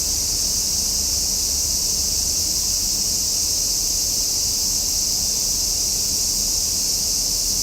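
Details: Cicadas calling in summer, one unbroken, high, sizzling drone that stays level throughout, over a quiet low-pitched background rumble.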